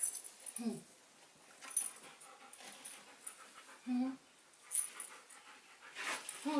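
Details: A 5-month-old German Shepherd puppy gives a few short, high, yelping barks spaced seconds apart as its owner talks, asking whether it sees a cat; German Shepherd.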